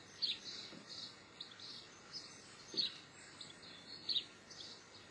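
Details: White-headed marmoset, known in Brazil as sagüi: thin, high chirps repeat roughly once a second, with a few sharper peaks and faint low taps against a quiet hissing background.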